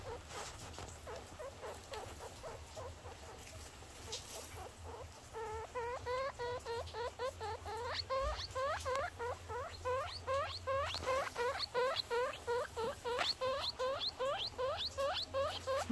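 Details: Newborn baby guinea pigs calling with a rapid series of rising squeaks, repeated nearly three times a second and growing louder and more regular midway, with a low background hum and soft human voice nearby.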